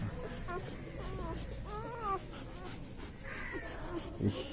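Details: Labrador Retriever puppies on their first or second day after birth whimper in wavering, arched whines, a few short cries then a longer quavering one, with voices murmuring faintly behind them.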